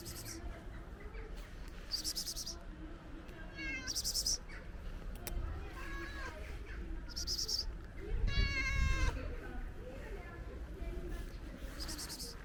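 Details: Ginger stray cat asking for food, with repeated short harmonic meows spread through the clip, strongest near eight seconds, amid low background rumble and brief high hissing bursts.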